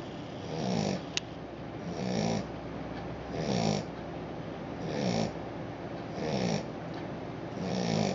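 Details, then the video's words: Australian Shepherd puppy sound asleep, snoring in a steady rhythm: soft raspy breaths swelling and fading roughly every 1.4 seconds, six in a row, with a faint click early on and otherwise quiet surroundings. "Adorable Snoring Puppy-Cute Aussie!"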